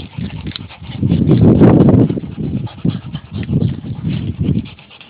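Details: Adult male dog panting while his puppies climb on him: rough, breathy low bursts repeated about three to four times a second, swelling louder in the middle, with no other clear sounds.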